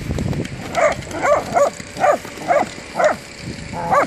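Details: Whippet barking while playing football, a steady run of seven sharp, bright barks roughly every half second, over low rumbling ground noise.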